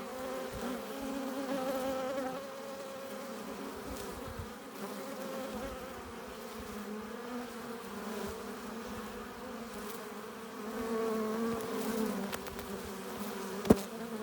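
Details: Crowded buzzing of honey bees coming into their hive carrying pollen and nectar, a continuous low droning chorus with rising and falling passes from nearby fliers and one sharp click near the end.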